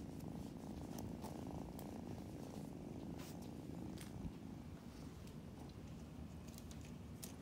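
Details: Domestic kitten purring indoors while being cuddled and given belly rubs: a steady, low, rumbling purr runs unbroken throughout, with a few faint soft clicks and rustles of handling and no voices.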